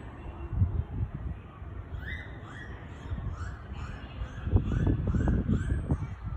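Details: Killer whales (orcas) Lin and Stella at Port of Nagoya Public Aquarium, recorded 13 October 2019, giving a quick series of short, rising squeaky calls over a low rumble.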